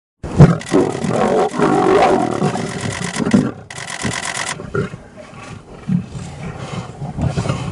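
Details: Lions of a pride fighting while feeding on an African buffalo carcass: harsh, growling roars and snarls, loudest in the first few seconds, then lower rumbling growls with sharp bursts amid a noisy background.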